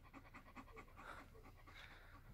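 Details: German Shepherd Major panting at dinner on a hot day: fast, even breaths in short rhythmic pulses, about three per second, with no voices over it.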